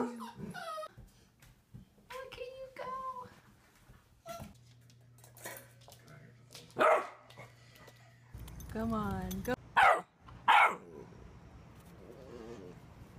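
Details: Basset Hound puppy, eight weeks old, giving high wavering whines and short yelping cries in scattered bursts, with a person talking and coaxing it between calls.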